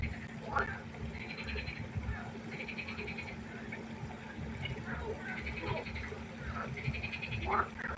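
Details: Night chorus of frogs at a pond, heard fairly faintly: ratchety, buzzing croaks a half-second to a second long, overlapping from several animals over a constant low background hum.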